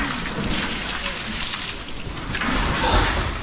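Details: Steady rain with rumbling thunder, and no animal calls.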